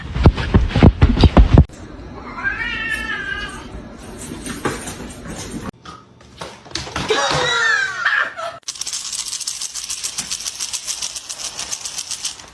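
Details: Domestic cats in a sequence of short home scenes: wavering, harmonic meows and a longer drawn-out cry, with people talking, loud thumps and hissing noise between cuts.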